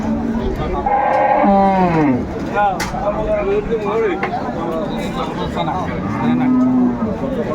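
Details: At Ambari market in Dinajpur on 29 April 2024, an improved-breed dairy cow with a calf gives a falling, drawn-out moo. A second low, level moo follows a few seconds later, under ongoing market voices.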